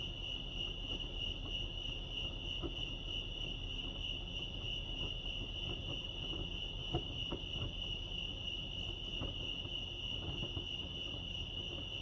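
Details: An even, high cricket trill pulses without pause around Lake Arrowhead, California, set against a low rumbling background and a few brief clicks.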